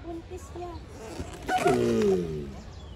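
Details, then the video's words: Giant tortoises mating: a single drawn-out, harmonic groan that slides downward and lasts under a second, with a person speaking nearby. "Tortugas apareamiento ruido"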